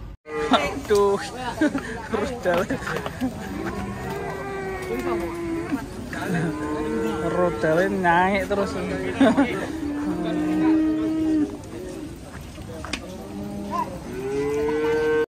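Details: Raging cow, afraid of water and finally having to be carried, gives long drawn-out moos that rise and fall in pitch, calling again and again through the stretch, with people's voices and crowd chatter in the background.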